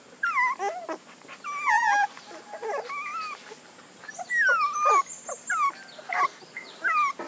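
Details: Whining puppies, their high plaintive cries overlapping and falling in pitch, a steady run of short squeals and longer moans with light rustling behind.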